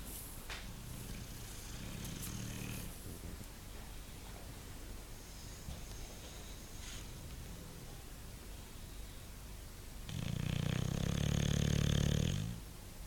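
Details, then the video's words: Bulldog snoring: two long, low rasping breaths, one near the start and a louder, heavier one about ten seconds later, with quiet room tone between them. "Bulldog roncando"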